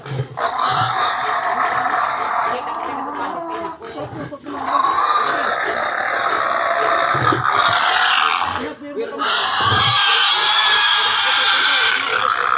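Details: Harsh, drawn-out screaming from wild pigs in a house, near-continuous for twelve seconds with short breaks, the pitch sliding slightly, with low grunts and some human voices in the background.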